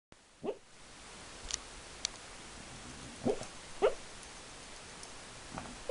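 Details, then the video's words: A female dog asleep makes funny squeaky snorting sounds likened to a guinea pig: short, quiet squeaks and snuffles come in a few scattered bursts, about one to two seconds apart, in an otherwise quiet room. "Dog sleeping and making funny sounds!"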